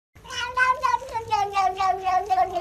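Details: Kitten giving a rapid string of about eight short, tonal meows, each slightly wavering and gradually sliding lower in pitch across two and a half seconds, closely spaced with no gaps.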